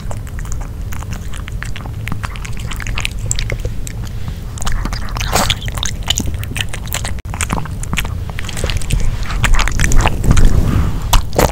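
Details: Dog named Nino eating grilled pork indoors for a no-talking ASMR recording: crisp biting and crunching snaps about twice a second, with chewing that grows louder toward the end.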